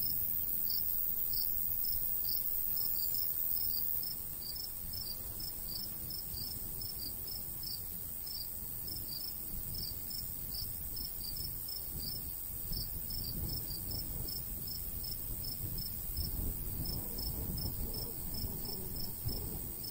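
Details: Crickets in summer countryside beside a golden wheat field on a breezy day, giving short high chirps at a brisk, steady pace over a constant shrill insect hiss, with low wind rumble that swells toward the end.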